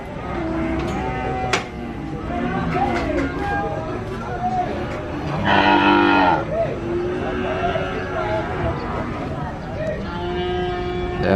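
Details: Several cattle moo with low, drawn-out, overlapping calls, some rising and falling in pitch, as they are unloaded from a truck at a farm.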